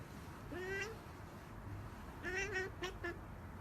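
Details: Kittens meowing softly: one rising mew, then after a gap a longer mew followed by two quick short squeaks.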